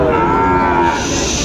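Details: Sahiwal bull calves at the traditional Raniganj cattle market, held Mondays and Thursdays, recorded on Thursday 20 June 2024; a steady, droning moo holding for about a second, then fading, over dense crowd chatter and market noise.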